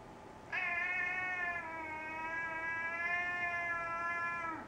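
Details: Male pet cat asking for dinner at home, giving one sustained, steady meow of about four seconds, harmonically rich and even in pitch. A woman speaks Dutch before and after.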